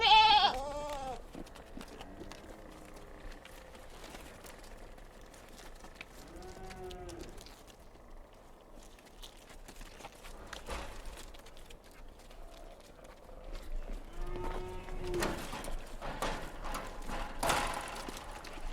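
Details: Kid goats on a mountain farm, bleating in several wavering, harmonic calls scattered through a quiet stretch, some faint and distant, with a louder burst near the end over soft farmyard background noise.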